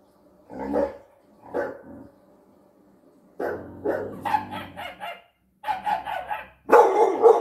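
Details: A 6-month-old pit bull terrier barks at dogs seen on TV in short, harsh bursts, with gaps between each volley.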